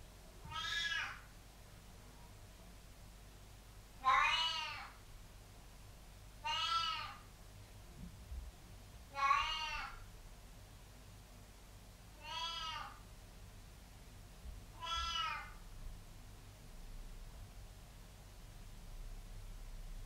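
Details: Pet cat in a bathroom where it likes licking leftover water from the floor, giving six short, bright meows spaced roughly every two to three seconds, each with stacked harmonics and a rising-then-falling contour over quiet room hum.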